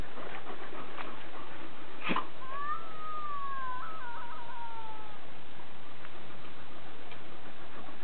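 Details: A borzoi and an Irish wolfhound playing in a garden; one gives a thin high whine that rises, wavers and slides down over about three seconds, with a sharp thump and rustling before it.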